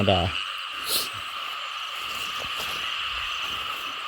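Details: A dense frog chorus over rice fields brimming with water after heavy rain, heard while people hunt frogs. A man's voice briefly opens, then only the continuous two-toned trilling drone remains, with faint knocks.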